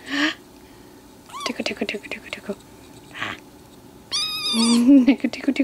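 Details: Black kitten at play indoors during a game of "stick 'em up": after quiet tongue clicks and a person's soft talk, one loud, drawn-out harmonic meow bends downward, then the person speaks again.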